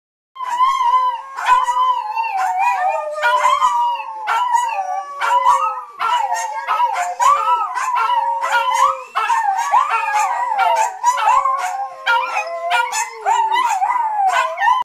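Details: Several dogs howling together: long sustained wavering tones, one steady lower voice beneath higher warbling, sliding howls, overlapping throughout with brief yips and sharp bark-like accents scattered across the chorus.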